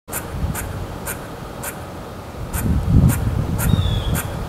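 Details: Squirrel calling, either greeting or angry: sharp, clicky, high-pitched chucks repeated about every half second in a steady series, over low rumbling wind or handling noise.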